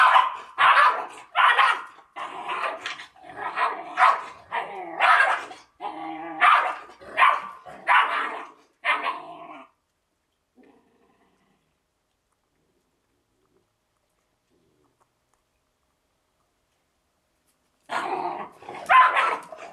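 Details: A Georgian Shepherd Dog puppy and its mother bark and growl in rough, rapid bursts while fighting, then a pause before more barking.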